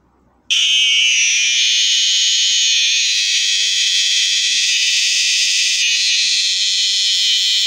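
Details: A Borneo cicada bursts into a loud, shrill, alarm-like buzz that begins suddenly and holds steady, a dense, hissing high drone with only slight wavers in intensity.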